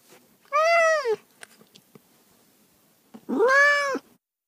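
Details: Two long, drawn-out cat meows separated by a few seconds of near silence, the first smooth and arching, the second louder and more strained, with a few faint clicks between.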